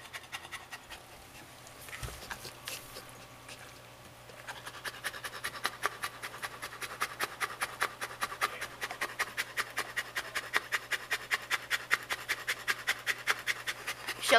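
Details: Female Saint Bernard named Shelby, a pet dog that pants every day and more in summer heat. Quiet start with a brief thump, then steady breathy huffs, about two and a half per second, growing louder toward the end.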